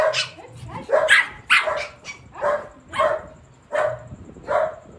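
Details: Mimi, a Shih Tzu, in a playful attack: sharp barks repeated at uneven intervals, about one per second, some with a yelping edge.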